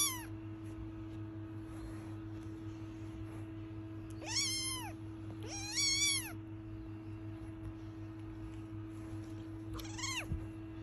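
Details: British Longhair kitten named William gives a few high, arched meows, each rising then falling in pitch: a short one at the start, two longer ones close together mid-clip, and a brief final one, over a steady low electrical hum.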